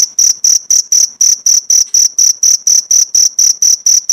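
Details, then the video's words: Cricket chirps meant as training material for pleci birds, with pauses of one to two minutes between sessions: piercing, evenly spaced high chirps, slightly slower and longer, about three to four each second. "Masteran jangkrik untuk isian burung pleci"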